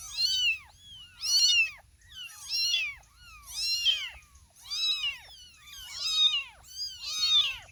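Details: Several young kittens, a mother cat with four or five kittens, meowing together: high, overlapping arched mews repeated roughly every second, each a rising-then-falling squeak, with no music.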